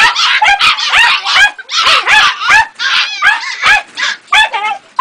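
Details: Jagdterrier puppy Ega, aged two and a half months, gives quick runs of high, bending yips, several per second, some rising and falling like small howls.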